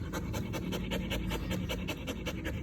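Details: Close, loud panting of a Belgian Malinois called Siri: fast breathy puffs repeated several times a second, harsh and airy, filling the short moment before it is told to sit.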